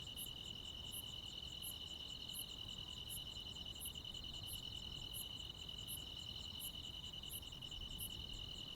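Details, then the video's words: Crickets and other insects fill a rural summer night with a constant high trill, while a second caller adds bright, regularly repeated high pulses about every two-thirds of a second over a gentle low hum. "시골 야간 귀뚜라미, 벌레 소리"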